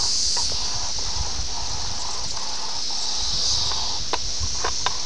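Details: A high, continuous insect drone from 17-year periodical cicadas of Brood X at Ayersville, Ohio, in June 1987, recorded on VHS. It runs under soft clicks and low rustling noise.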